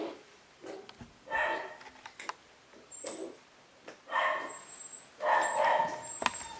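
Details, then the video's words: Cavapoo puppies from a new litter at a UK breeder, newly vaccinated, giving short whimpering cries in several bursts with harmonic bands, plus a few high thin squeaks, indoors with quiet gaps between calls. "New litter of Cavapoo puppies"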